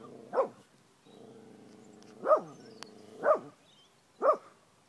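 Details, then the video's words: Angry female Australian Kelpie that picks on bigger animals such as cows and horses: four sharp, harmonic barks, about one per second after a short gap, each rising then falling, with a low steady hum beneath. "Angry Australian Kelpie"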